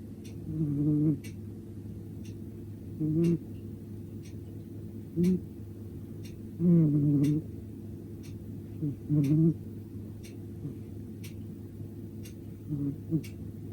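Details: Ponta, a male short-legged brown tabby-and-white Munchkin cat at Cat Café Ponpoko, asleep on a sofa after tiring himself out with play, snoring softly: low, brief bursts roughly every two seconds, with faint regular ticking clicks behind.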